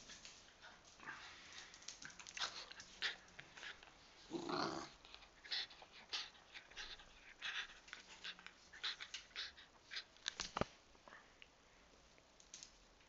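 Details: A Jack Russell Terrier carrying back a rubber bone pants and snuffles in quick, breathy bursts, with one louder huffing growl.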